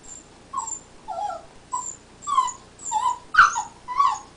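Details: Black Labrador Retriever puppy named Ike whimpering while chewing during teething; short high whines and yelps in a loose series, roughly every half second, with no background noise.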